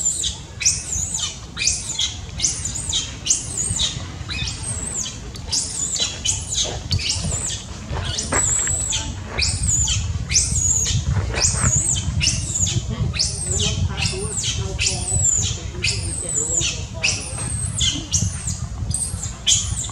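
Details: Loud crying from a baby monkey wanting its mother: a rapid, nearly unbroken run of piercing, high squeals repeated several times a second, set against a constant low-pitched background hum.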